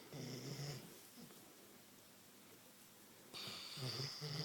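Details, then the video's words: Queensland Koolie dog asleep and snoring: two loud, rough, buzzy low snores with layered overtones, each lasting under a second, separated by a quiet pause of about two and a half seconds. "My Koolie snoring"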